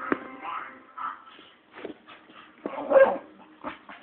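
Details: Red, a female Staffordshire Bull Terrier kept as a pet, makes strange, funny noises while wanting to play: short squeaky whines and yips in brief bursts, with some high moaning tones between them.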